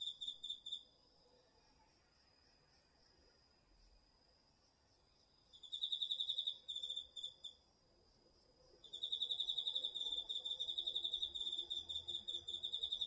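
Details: Crickets and other autumn insects calling at night from a garden vegetable patch, captured with a DR-40X; bursts of high pulsed trilling start and stop, with quiet gaps between, over a faint steady background hum of insects.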